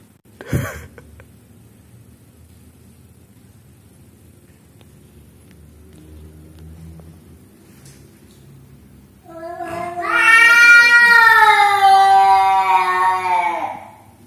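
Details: Orange cat in a fight: after a quiet opening with one sharp thump, a loud, drawn-out, wavering yowl rises and then slowly falls over about four seconds before stopping abruptly.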